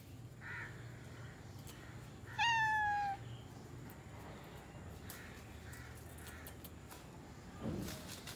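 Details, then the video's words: Domestic cat called a talking kitty gives one clear, drawn-out meow lasting under a second and falling slightly in pitch, over a steady background hum with faint clicks and distant voices. "Cute talking kitty"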